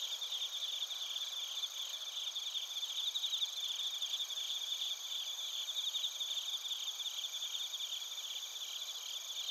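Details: A night-like insect chorus of bell crickets and other crickets in Narita, Chiba, Japan, on a TASCAM Portacapture X8. Many callers overlap in steady high ringing bands, with rapid trilled pulses throughout and nothing else audible.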